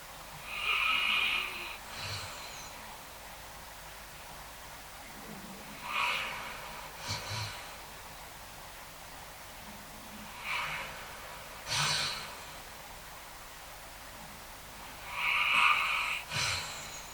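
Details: During a thunderstorm, a Basset Hound that is scared of thunder sleeps in his usual safe spot and dreams a little, snoring every few seconds with a raspy, whistling snore on each breath.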